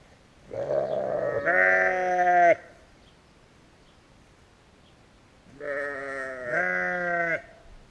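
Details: Sheep filmed on a GoPro Hero give two long, strongly harmonic bleats, each about two seconds with a wavering, quavering tone, separated by a few seconds of quiet.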